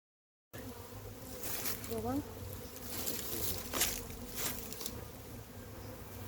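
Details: Massive wild honey bee hive being caught: a steady, humming buzz of many bees with a low drone beneath, broken by brief scraping clatters and a short human voice.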